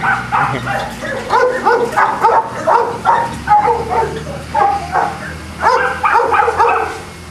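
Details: Boston Terriers at a kennel in Jamundí near Cali, Colombia, several dogs barking together: dense, overlapping, high yappy barks in rapid bursts with brief pauses, continuing throughout.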